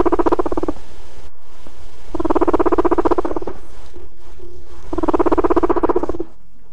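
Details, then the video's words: Two adult guinea pigs put together give a low, rapid, purring rumble in three bursts, the sound of interest in a mate, also made when marking territory and recognizing each other. "well this sound will only be heard when we put two guinea pigs together"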